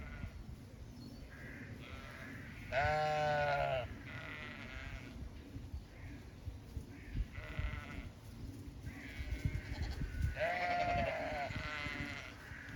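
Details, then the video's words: Zwartbles sheep bleating on a small regenerative farm in County Kilkenny, Ireland: two loud wavering bleats about seven seconds apart, with softer distant bleats between them and faint birdsong behind. "Some sights & sounds of farm life. Dogs, cats, sheep & alpaca"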